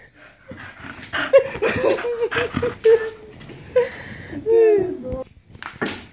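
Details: Staffordshire Bull Terrier named Dino, indoors, having fun during a playful freakout; tonal whining yelps and drawn-out squeals come in short bursts across the clip, mixed with people talking and laughing.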